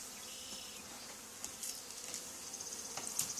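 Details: Honey bee swarm settled on the wall of an old barn, two days after another hive was cut out there. A steady, dense, hissing buzz holds throughout, with brief sharper crackles and taps near the end.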